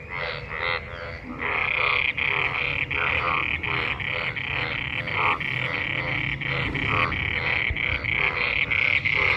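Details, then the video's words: Frog chorus after monsoon rain, many frogs gathered in rainwater and mating; rapid, regular buzzy croaks, about three per second, layered over a continuous rasping background chorus. "Frog Sounds after monsoon rain,Sounds of toad Croak croak ! frog mating and love in rain"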